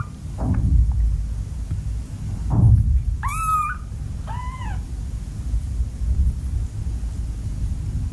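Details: A cat in a household of seven cats gives two short, high-pitched, arched mews about a second apart, each rising then falling, over a steady low rumble of background noise with a few soft thumps before them.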